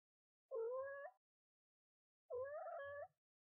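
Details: A mother cat speaks to her newborn kitten on the kitten's first day, giving two drawn-out, low, rising meows with a rich harmonic layer, each under a second long, against a silent background.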